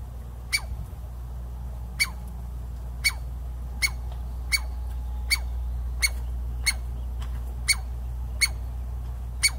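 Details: Chickaree, or Douglas squirrel, of Pacific Northwest forests giving warning barks: a dozen loud, clipped, piercing barks spaced under a second apart, each sliding briefly downward, with a constant low hum beneath.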